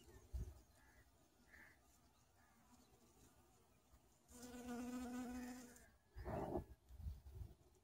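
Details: A honey bee sitting on a red flower gives a droning wing buzz that swells for under two seconds, low and steady.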